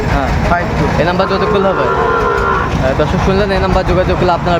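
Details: Sahiwal bull at a busy cattle market, 31 May 2024, bought by a farmer from Brahmanbaria, Bangladesh; a drawn-out, mid-pitched moo swells and fades over dense crowd chatter and engine rumble.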